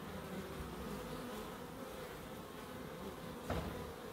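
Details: A constant bee hum in a small garden in Crookes stays even throughout, with one brief brushing noise near the end.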